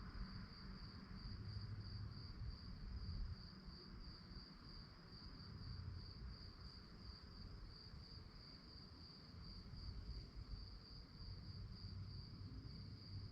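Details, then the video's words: Night crickets produce a bright, evenly pulsed trill, clear and unbroken from start to finish, over a low, steady wash of background rumble. "relaxing sounds of crickets"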